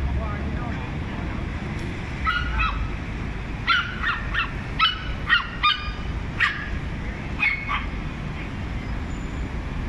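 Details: Several small dogs taking turns barking at one big dog: short sharp yaps in bursts, some doubled, spread over the clip, with a steady low rumble of background noise.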